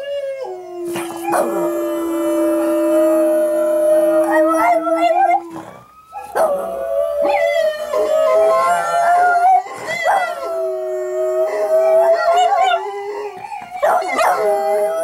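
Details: Pet dog singing along to recorded howling dogs: long sustained howls, one steady lower tone layered with a higher wavering howl, a short pause midway, then more overlapping quavering howls with sharp yips.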